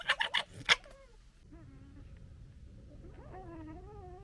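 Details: Foxes of a local family with cubs give harsh, stuttering gekkering chatter during disagreement, then thin, wavering whines.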